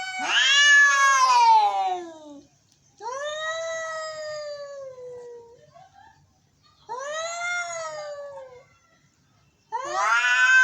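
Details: Drawn-out angry meowing from cats, four long moaning cries that rise briefly then sag downward, spaced by gaps of a second or so.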